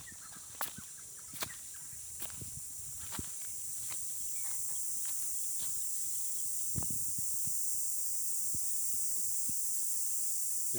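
A cicada's steady, high-pitched buzzing drone swells louder, with footsteps crunching in the foreground.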